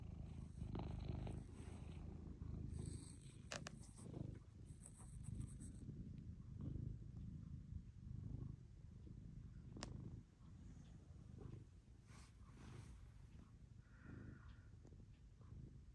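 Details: Pet cat resting on its owner's lap and purring loudly, a steady low rumble pulsing with its breathing, joined by a few faint higher clicks and rustles in the background.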